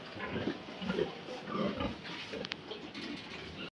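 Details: Sow in heat during heat detection, judged ready for breeding; low, rough grunts repeat roughly every half second, then fade, with a brief clicking noise near the middle and a quiet room behind.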